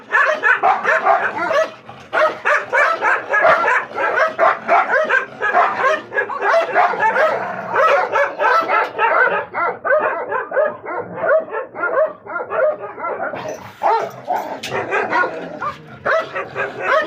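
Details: Dogs in a Gultair versus wolfdog face-off, barking continuously in a dense rapid stream of overlapping harsh barks and yelps, with hardly any pause over many seconds.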